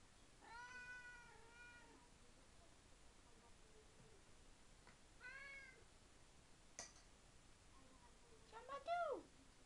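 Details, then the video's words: At feeding time indoors, the tomcat Tigroo calls eagerly: a long wavering meow, then a shorter one several seconds later and a final brief upturned mew, with a sharp click and a quiet room behind. "Chat qui parle / 話をする猫"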